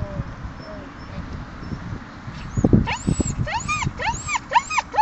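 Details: Dogs playing together in a dog park in Mariehamn, Åland Islands, on 30 April 2012: after quiet background murmur, a run of high, arched, harmonic whining yelps rises and falls rapidly from the third second onward.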